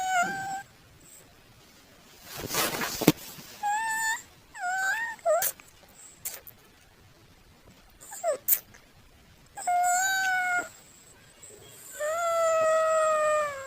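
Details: Domestic cat meowing in several separate calls, some drawn-out and wavering, others short and rising, with a brief burst of noise near the start and quiet gaps between calls.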